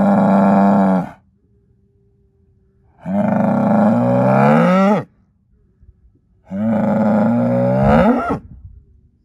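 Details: Deep, rich bellows from an Angus herd sire bull born in spring 2018, son of SAV Harvestor 0338: three drawn-out calls roughly every three seconds, each swelling and ending in a rough break.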